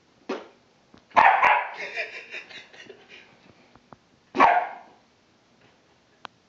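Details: Bentley, a pet dog, barking in reaction to fart sounds: a short sharp bark, then a louder drawn-out bark with howling overtones, and a final strong bark after a pause; faint clicks between.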